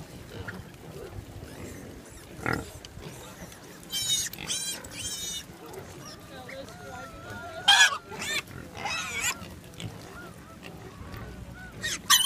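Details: Wild boars at the roadside of route 309, Coromandel Peninsula, New Zealand, give scattered harsh squealing bursts, one strong pair mid-clip and a sharp cry near the end, amid low rumbling background noise and faint wavering tones.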